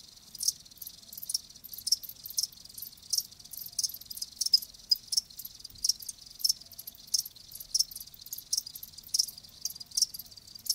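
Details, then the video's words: Repeated high chirps from live crickets, evenly spaced pulses roughly every half second over a quiet background, a continuous natural chorus without other voices. "Live Crickets 60min "Natural Sound""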